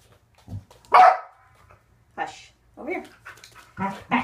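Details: Corgi named Waffle during an indoor clicker training session on extending his back feet: a few short, sharp barks, the loudest near one second, interspersed with a person's brief spoken commands and praise.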